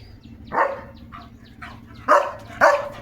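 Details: German Shepherd named Leo barking in the morning: three sharp, separate barks with a quieter lead-in, spaced about half a second apart, over a low steady hum.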